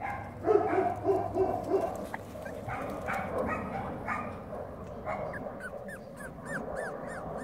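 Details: Five-week-old Cavalier King Charles Spaniel puppies, including a black one, give high, thin whines and yelps in quick, uneven succession.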